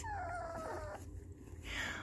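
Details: Newborn puppy, ears only recently opened, howls in distress at music switched on in the room; a long wavering tone slides down and fades, then a higher brief cry rises near the end over low background rumble.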